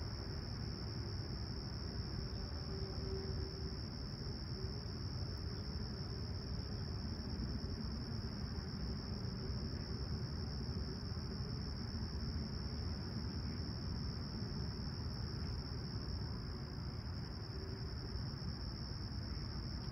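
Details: Summer sunrise chorus of crickets at Humber Bay Shores in Toronto, 28 July 2020, calm and clear at 20ºC; an unbroken high-pitched buzzing trill sits above constant deep rumbling background noise, possibly a passing train.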